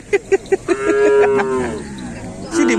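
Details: Cattle at bull race training for a kerapan sapi event in Pamekasan. Four quick sharp knocks lead into a long, steady moo that fades away, then another brief moo starts at the end.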